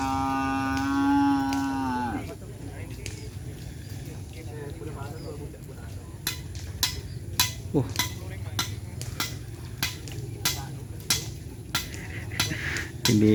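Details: Madura cattle at a kerapan sapi bull race held at Lap Asemanis for the HUT Jiwa Jawa celebration: one steady, drawn-out moo lasting about two seconds, followed by crowd chatter and a run of sharp, repeated clicks or taps.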